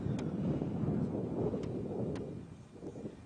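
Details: Low rumbling wind and engine-like noise with a few faint clicks, and no animal voice.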